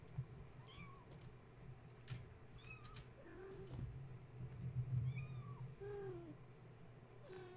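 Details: Wakeful kittens of Gaia, too excited to settle for nursing after a space heater was plugged in, call in a quick run of thin, rising-then-falling meows, roughly three per second at times, amid scratching and a low steady hum.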